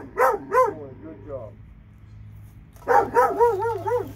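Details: Two dogs in Alabama give two quick barks, fall quiet for over a second, then break into a rapid run of arched, ringing barks.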